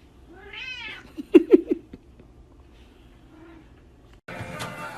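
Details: Indoor pet cat gives a single bright, arching meow, followed by several sharp knocking thumps, a soft murmur and a sudden burst of broadband noise at the end.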